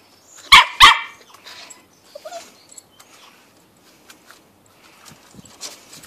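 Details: Shetland Sheepdog puppy on a deck, apprehensive while learning to hop down the steps: two sharp, high barks in quick succession near the start, then quiet rustling and faint small sounds.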